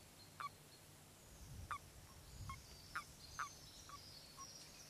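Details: Common toads in mating season at their spawning waters, where males clasp females and ride to the pond: short, sharp croaking notes that come irregularly about every half second, over steady low hum and faint high birdsong.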